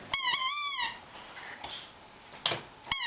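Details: A pet dog singing: one drawn-out, tonal, howl-like note lasting under a second that dips slightly at the end, followed by quiet room noise and a few sharp clicks.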